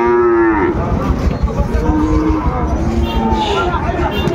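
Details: Sahiwal bull calves for sale at Ambari cattle market, Dinajpur, Bangladesh, 14 March 2025: a short mid-pitched moo that drops at its end, then fainter lowing beneath a constant crowd din of people bargaining.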